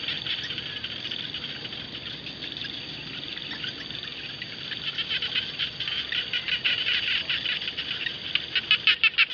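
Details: Frogs calling in paddy fields: a continuous rasping chorus of fast, overlapping pulses that swells in the final seconds into loud, clearly separated rattling bursts.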